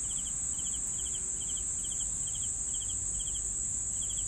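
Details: Cricket chirps: brief, evenly spaced triple pulses roughly every 0.4 seconds, with a persistent shrill hiss overhead and low rumble beneath.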